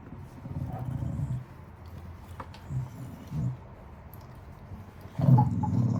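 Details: Wire-haired dachshund, newly rescued from a shelter, grumbling while being given a bath; low throaty rumbling growls come in bursts of about a second with pauses, the loudest near the end, amid background rustling and handling noises.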